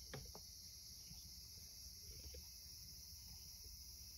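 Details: Cicadas on a summer evening in Japan give a steady, high-pitched drone without a break, heard by a cat lying on an earthen floor, with faint low thumps beneath.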